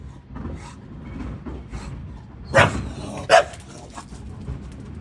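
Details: English Bulldog barking at a garbage truck: two sharp, loud barks about 0.7 seconds apart near the middle, with a low rumbling background before and after.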